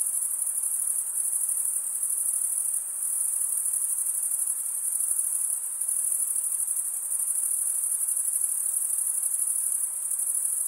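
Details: Male-type cricket chirping by wing stridulation forms a continuous high, buzzy trill that pulses faintly in loudness across the whole stretch, with no background sounds.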